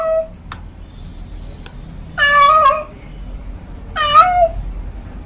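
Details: Calling house cat with a brief meow at the start, then two long, drawn-out wavering meows that rise and bend downward, separated by a quiet pause with faint clicks in between.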